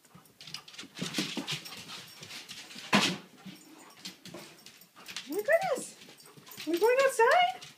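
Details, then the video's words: Siberian Huskies Blaze and Kiba, indoors and wanting to go outside, answer a person's speech with rising and falling whiny howls, a first wavering cry then a longer multi-tone yodel near the end. "Wanna Go Outside?! Siberian Huskies Blaze and Kiba want to go outside!"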